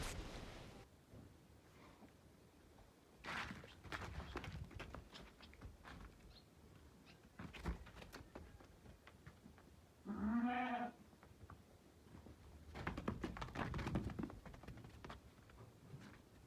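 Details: Six-toothed Damani ewe giving a single short, nasal bleat of about half a second, set among footsteps, dull thuds and shuffling in a quiet pen.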